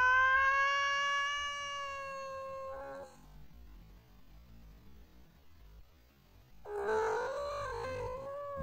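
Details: Pet cat whose voice is likened to a TIE Fighter: a long, steady, drawn-out yowl for about three seconds, a quiet gap, then a second rougher, wavering yowl.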